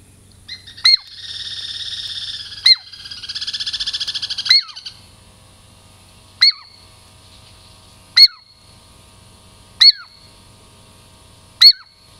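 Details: Girl Squirrel, a tame female Douglas squirrel of the Puget Sound lowlands, nearing for a treat: two drawn-out buzzy trills mixed with sharp chirps, then single piercing chirps with a falling tail, spaced under two seconds apart.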